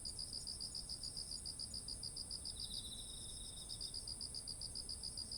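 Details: Insects of autumn calling near ripened rice paddies, captured with a ZOOM H1essential: a fast, regular series of high pulsed chirps over a constant piercing whine, plus a brief lower buzzing trill in the middle.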